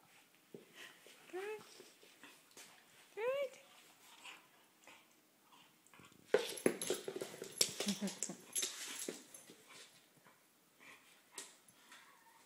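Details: Ren, a pet dog amusing himself alone with his ball, gives two rising, curling whimpers in quick succession, then a loud stretch of scuffling, clattering play noise with a few faint squeaks fading out.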